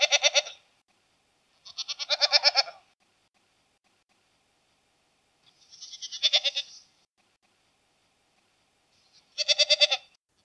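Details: Domestic goat giving four separate vibrato bleats, each about one second long and spaced two to four seconds apart, harsh and wavering, in otherwise silent surroundings.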